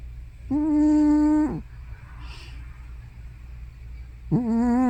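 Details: Sleeping old house cat Hana, thought to be more than 15 years old, gives loud snore-like sleep-talk sounds: a level, tonal moan lasting about a second, a pause with soft rustling, then a second moan beginning and rising slightly.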